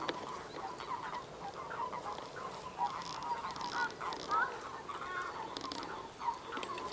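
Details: Common toads mating in a pond, males clasping females, often in groups, give a steady overlapping chatter of short, soft croaking notes.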